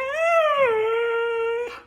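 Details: A Siberian Husky, affectionate and fond of kisses, gives one clear, sustained vocal howl lasting under two seconds: a tone that rises slightly, dips, then holds steady before breaking off, recorded close up indoors.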